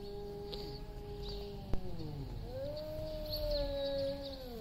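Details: Two big male cats face off before a fight over territory, giving low, long, steady wailing tones that slide down and then rise into a louder drawn-out yowl. A brief sharp knock is heard midway.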